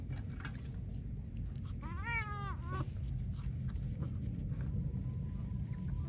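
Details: Feral cat meowing while being bathed: a single drawn-out, mid-pitched meow that rises and then falls, lasting under a second, over a steady low rumbling background with faint clicks.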